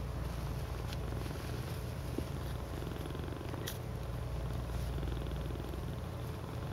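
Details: Cats piled together cuddling in a "cuddle puddle" purr steadily: a continuous low, rumbling pulse with a few faint soft clicks over it.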